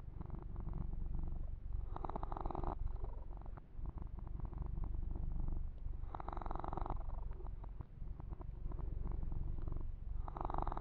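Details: Male kitten purring while being massaged and having its fur groomed, recorded close up for ASMR: a steady, low rumbling purr with rapid pulses throughout, broken by brief bursts of rubbing and brushing noise around two, six and ten seconds.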